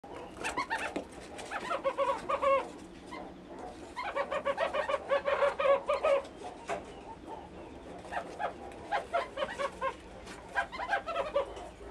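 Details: A baby meerkat about one month old at Zoorasia zoo gives rapid, high chirping squeaks in bursts with brief pauses.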